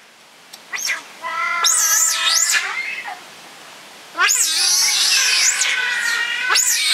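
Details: Six giant otters, two of them cubs born at Chestnut Centre, Chapel-en-le-Frith, on 25 June 2011: loud, piercing, up-and-down squeals overlap with droning harmonic cries in two long bouts, the second louder and harsher.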